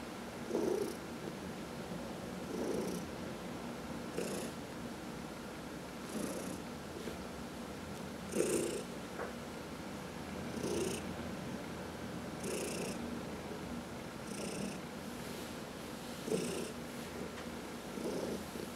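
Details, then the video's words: Purring of domestic cats being massaged indoors, one of four cats including senior shelter adoptees Heidi and Dinah; a low rumbling purr with soft breathy pulses swelling roughly every two seconds, quiet room background. "Four Purring Cats — Cat Massage"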